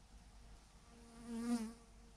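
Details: A single bee zooms close past a huge swarm clumped on a branch. Its buzz swells and fades within about a second, rising in loudness as it nears, over a soft background hum of the mass of bees.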